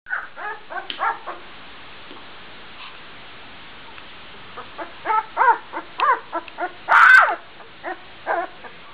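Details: Twelve-day-old Gordon Setter puppy barking while running around as its littermates try to sleep; short, high yips and squeaky barks come in irregular bursts, with one louder squeal near the seventh second and quiet pauses between.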